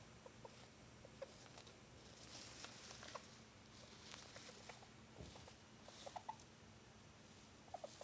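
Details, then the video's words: Pet hamster making strange noises that began suddenly after a normal day, the animal otherwise acting normally; faint, irregular short squeaky chirps and clicks scattered through the recording over a steady low electrical hum. "Hamster macht komische Geräusche."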